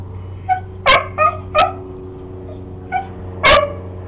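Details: Beagle barking at a lizard. It gives short, sharp, high yapping barks, singly or in quick pairs, about six over four seconds, with a steady low hum in the background.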